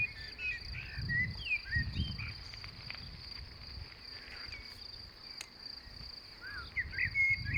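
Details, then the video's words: Meadow grasshoppers in May keep up a continuous thin, high buzzing hum, while short twittering bird notes come and go and soft wind thumps pulse underneath. "мне кажется раньше кузнечики начинали не в мае стрекотать"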